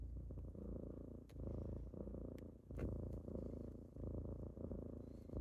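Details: Kittens purring on a typical morning as they wake someone up; a steady low rumbling purr that swells and eases with each breath, roughly every second and a half, with a few faint clicks and rustles.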